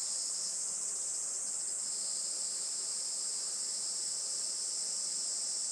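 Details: Summer cicada chorus on a traditional Japanese farm in Saitama, 20 July 2024, near 11:30 am in sunshine; an unbroken, piercing high-pitched hiss-like drone fills the whole stretch at even loudness.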